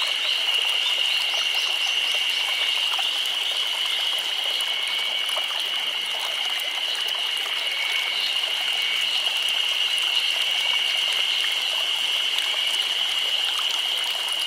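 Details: Cicadas singing together in a Nagano Prefecture summer, Japan, producing a continuous shrill buzzing band that never pauses, steady in loudness across the whole stretch, with light ticking and chirps in the background.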